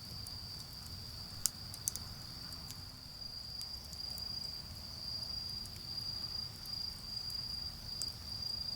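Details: On an autumn night by a garden bonfire, insects keep up an unbroken high-pitched ringing drone, while the fire snaps and crackles in scattered sharp clicks over a low background rumble from distant cars.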